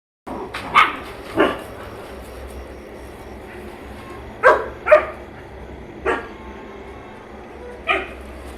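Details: German Shepherd mother with her puppies: six short, sharp barks and yelps spaced irregularly across about eight seconds, some in quick pairs, over a steady low background hum.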